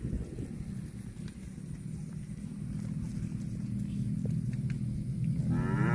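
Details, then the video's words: Cow mooing: a long, low, steady moo builds over several seconds, then swings up into a higher, rising bellow at the end, with faint background noise. "COW SOUND"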